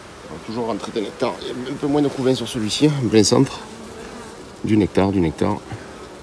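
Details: Honey bees at a hive inspection at the end of summer, 22 September: short, loud buzzing bursts that swoop up and down in pitch as bees pass close, a rapid cluster over the first three seconds, a pause, then another cluster near five seconds.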